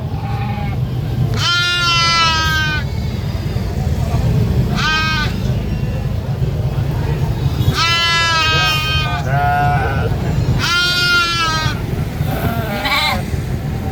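A goat gives loud, wavering, harmonic-rich screaming bleats in bursts, over a steady low rumble.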